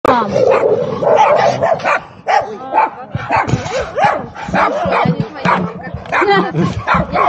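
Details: Several big dogs squabbling and growling while an American Staffordshire Terrier chases a small barking dog at a distance. Dense, overlapping harsh barks, yelps and snarls fill the scene, with a person's voice mixed in.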